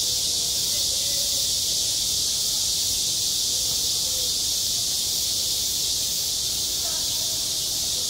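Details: Cicadas sing over a school playground in summer, an intense, even, hiss-like whir that never lets up. Faint, low tonal sounds drift beneath it now and then.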